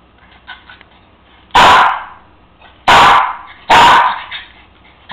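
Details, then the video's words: Cairn Terrier dog indoors, barking because his bone sits out of reach on the counter: three loud, sharp barks, the second and third closer together, with quiet room noise between. "Cairn Terrier wants his bone."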